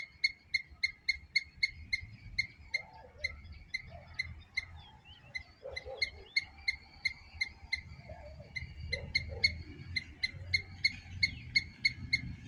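A squirrel gives a fast run of sharp, high chirps, several each second, over faint background rumble.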